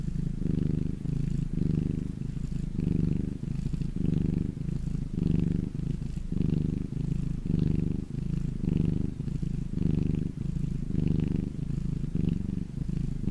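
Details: A pet cat resting in sunshine purrs continuously, a deep vibrating rumble that swells and eases roughly every second with each breath; faint soft breathy hiss on some phases, otherwise quiet.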